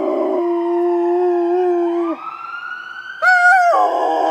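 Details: A Rottweiler gives a long, steady, mournful howl, joining in with a wailing ambulance siren.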